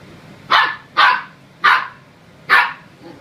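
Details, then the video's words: A Samoyed puppy confronts a broom with four loud, high yappy barks. They are spaced roughly every two-thirds of a second, each short and bright with a slight tail, in a quiet room. "Samoyed Puppy Louis takes on Evil Broom"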